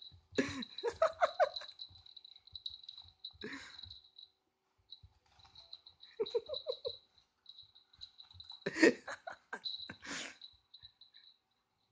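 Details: Human laughter and giggling come in bursts over a steady, high electronic toy tone, with no animal voice heard.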